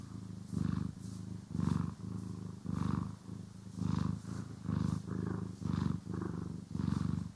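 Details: Domestic cat purr during brushing and grooming, recorded in stereo: low vibrating rumble repeating in breath-length pulses nearly once a second, with a faint higher rasp riding each pulse.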